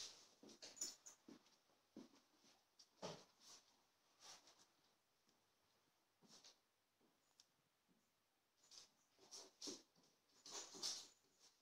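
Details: An Akita Inu gives short, breathy, irregular barks and huffs while confronting a menacing dog that has come to have it out.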